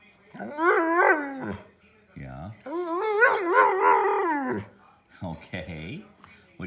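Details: Frustrated older Pudelpointer Nico, wanting to be let outside, 'talks' in bursts of wobbling, yodel-like howls and moans, the longest lasting about two seconds with rapid pitch wavers, while a person asks what he wants.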